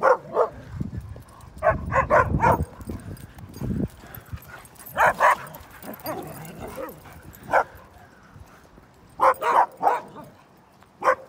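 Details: Great Pyrenees at a dog park, playing with a group of dogs: short, sharp barks in irregular clusters of two or three. Heavy scuffling thumps of rough play come early on, and a person speaks briefly.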